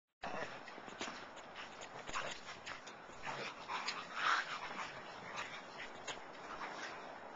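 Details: Two Schipperkes playing in snow with a larger dog give short, sharp barks and high whimpers over steady crunching and scuffling.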